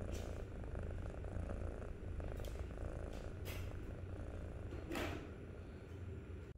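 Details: Kitten, 63 days old, purring close up: a soft, continuous low rumble with a few faint clicks and rustles.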